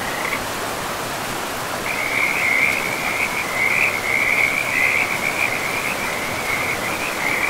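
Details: Frogs calling beside a river deep in a pristine forest: from about two seconds in, a steady run of high, rattling trilled notes runs almost unbroken over the constant rushing roar of flowing water.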